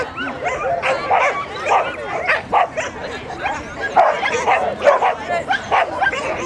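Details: Border Collie at a Graded 1-4 agility jumping competition held by the Border Collie Club of GB at Newark Showground, 21 March 2010; sharp barks and yips come roughly every second, with human voices in the background.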